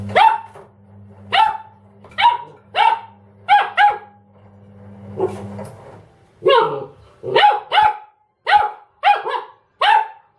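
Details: Ramses the Dobermann barks at a washing machine, giving single and paired sharp barks, a short pause with a low growling sound in the middle, then a fast run of barks; the machine's low drone continues underneath.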